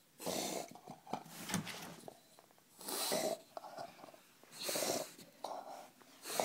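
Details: Indoor pet bulldog named Bill growling with rasping, wheezy exhalations that sound like a bong being hit, long noisy bursts roughly every two seconds separated by quiet gaps.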